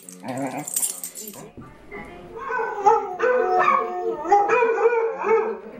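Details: Male pet dog that sings with other dogs and shrieks with pleasure during belly rubs: a brief noisy start, then a continuous warbling, whiny crooning that slides up and down in pitch for several seconds.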